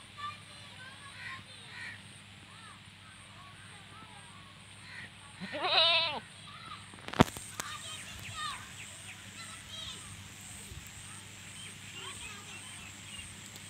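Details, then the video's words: Goat in a village setting: one loud quavering bleat rises out of a steady low hum and rustling midway through. A few fainter bleats follow over faint background noise. "Goats sounds"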